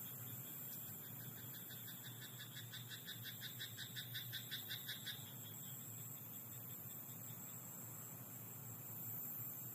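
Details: Night in a rice paddy: one frog's rapid rattling croak train of about four seconds, pulses closely spaced and steady, over a droning low hum and soft hiss.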